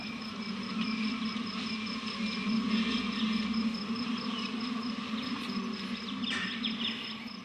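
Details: A recording of agitated wild African honey bees, played to elephants in the savanna, which flee from it; a dense, steady, low buzzing drone that never lets up.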